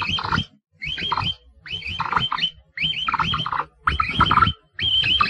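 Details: Capybara giving six rhythmic bursts, roughly one per second, each a cluster of squeaky, bending whistled chirps above a coarse low rumble.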